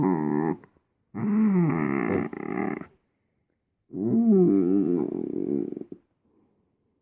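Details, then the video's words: Content Shetland Sheepdog producing three long, growl-like moaning vocalizations with warbling, rising and falling pitch, separated by quiet gaps of about a second. "Shetland sheepdog funny noise"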